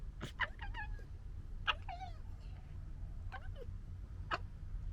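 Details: European red fox cubs in summer 2021 gekker with sharp clicks and give short, wavering, whiny yelps and whimpers while play-fighting.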